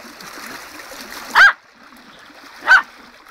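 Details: Tottie, a dog, excited by a fast-flowing, bubbling river, gives two short, sharp yaps about a second and a half apart against a constant hiss of rushing water.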